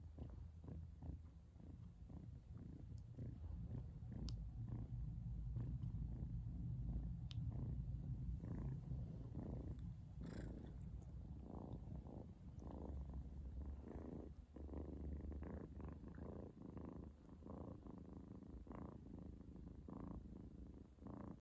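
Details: A cat kissing her mum gives a deep, continuous purr, a dense low rumble pulsing rapidly and evenly, with a few soft rustles and light clicks over the top in a quiet indoor setting.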